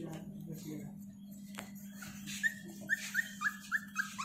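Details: One-month-old female Siberian Husky puppy, very small, indoors at home: after a person talks softly to her, a series of about seven short, high, whining whimpers, each slightly falling, comes roughly every third of a second, with a steady low hum beneath.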